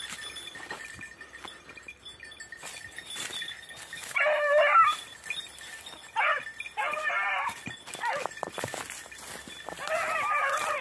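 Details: A red-blue tick or lemon-white beagle (Canis familiaris) on hare practice on Crete in 2021 gives drawn-out, ringing baying barks in short bursts, with rustling and clicks behind.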